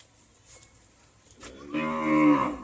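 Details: Jafarabadi buffalo calling: after a quiet stretch with faint background noise, a rich, loud, steady bellowing moo rises and swells during the last second.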